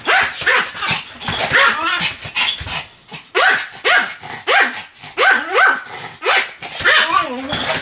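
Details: Continuous barking from Sam, a Pomeranian: a string of sharp, high barks about every half second, one short silence near the three-second mark, then the barking resumes just as fast.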